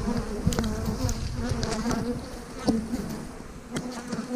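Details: Close, steady hum of many honey bees at hives being split in March 2020, where queen cells sit in the splits; a flickering low drone with passing bees and a few sharp taps.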